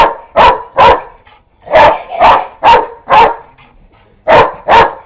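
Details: A neighbour's dog barks at a vacuum cleaner that is not even switched on. Eight sharp, loud barks come in uneven pairs and short runs across five seconds, with brief silent gaps between them and no other sounds.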